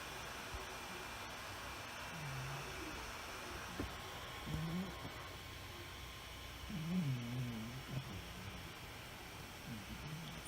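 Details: Fluffy, a tuxedo house cat, asleep and snoring indoors: soft low nasal snores at about two, five, seven and ten seconds, faint under a steady computer hum.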